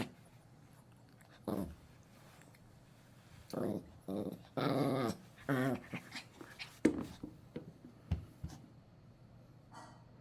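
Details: Pet dog growling indoors as its toy is taken away, low rumbling growls in several bursts of about a second, some with a wavering tone, and a person's voice between them.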